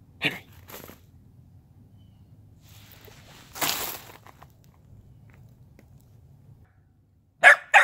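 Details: Corgi running around a yard; a few short sharp barks spaced apart, one near the start and a double bark at the end, with a broad rustling burst in between over a low background hum.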